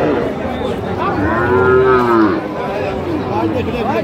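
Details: A lean, bony dairy cow lowing at Ambari cattle market in Bangladesh: one long, tonal moo lasting about a second, with a low harmonic band, over a steady murmur of market crowd noise and men talking about the cattle.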